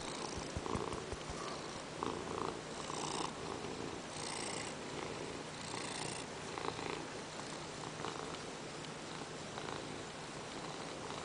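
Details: Ragdoll cat Peanert purring indoors after jumping onto the owner's lap during work and demanding petting; a steady low rumbling purr runs throughout with soft scratchy bursts in between, and quiet room noise.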